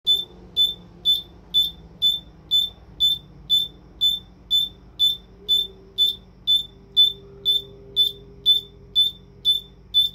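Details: A bell cricket (Homoeogryllus orientalis) sings, repeating a clear, ringing high chirp about twice a second, steady and even.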